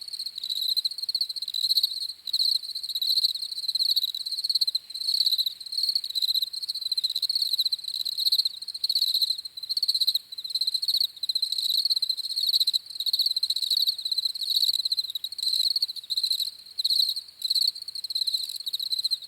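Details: Crickets chirping continuously in a high, pulsing band, trilled bursts running almost without pause and briefly dropping out now and then, with a fainter higher overtone shimmer and no other sounds.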